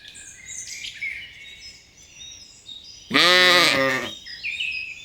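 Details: Lambs grazing in a cool green forest; one loud, quavering bleat of about a second sounds midway, with a rich layered tone, while small birds chirp and twitter softly before and after.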